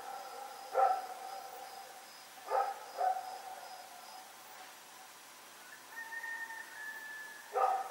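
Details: Dog Rex running around and barking at night on October 7, 2018; sharp barks come singly or in a quick pair, irregularly spaced, with a faint steady whine-like tone between them and a soft high pulsing hum behind.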